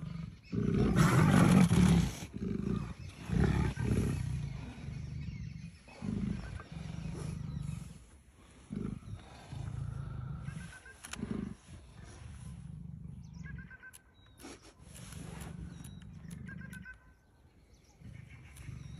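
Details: Several leopards at play in Kanha National Park: a loud, gravelly roar opens, followed by repeated low grunting growls that gradually fade, with scattered rustles and faint background noise later on.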